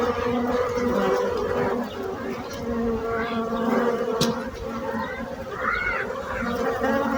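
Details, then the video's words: Bee buzz heard as a softer, more diffuse droning hum with fluctuating pitch. A sharp click and a brief high chirp sound over it. "Bees buzzing sound effect"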